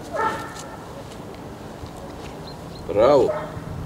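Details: Akita Inu dog at its first training session in Čačak, Serbia: a single short, arched whining yelp rising and falling near the end, after a brief earlier voice-like sound, over steady outdoor hiss.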